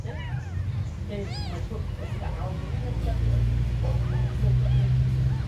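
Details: Tiny abandoned kittens giving a few high, arched mews, the loudest pair near the middle, over a constant low rumble with murmuring in the background.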